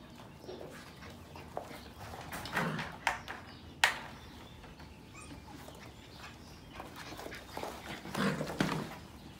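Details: Sheepadoodle puppies from the Pepper and Cocos litters of 2020 at play, giving short scattered yips and growly bursts amid scuffling and knocking sounds, with quiet stretches between the louder outbursts.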